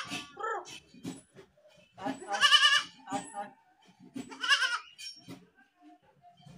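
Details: Goat calls mixed with other noises: short low grunts early, then two strong quavering bleats at about two and a half and four and a half seconds, tremulous and raspy, with scattered clicks and thumps between.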